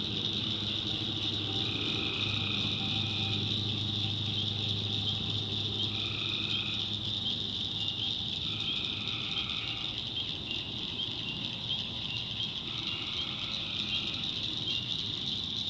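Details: In a North Carolina backwoods swamp at night, tree frogs answer one another with buzzy trills lasting a second or two, spaced a few seconds apart, against a steady high-pitched insect chorus and low hum.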